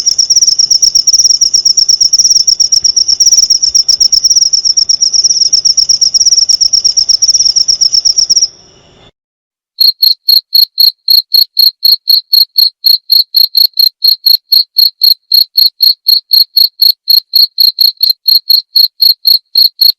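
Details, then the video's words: Cricket recorded as a clear masteran tutor track for training white-rumped shama (murai batu), to be played each night. A steady high trill runs for about eight seconds, then a short silence, then sharp chirps about four per second. "masteran suara jangkrik jernih!"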